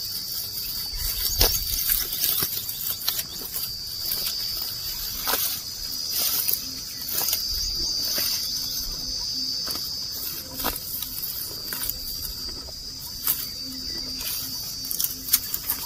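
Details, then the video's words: Grazing cattle, cows and oxen, eat grass as they walk. Sharp ripping bites sound again and again at an uneven rhythm against a continuous high-pitched cricket-like buzz in a rural outdoor setting. "Sound Of Cows Eating Grass"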